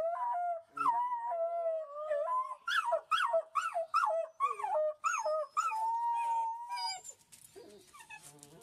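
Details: Young wolf pups give rapid wavering howls and yelps, about two per second, sliding up and down in pitch. One longer steady howl follows, then the calls fade into soft rustling.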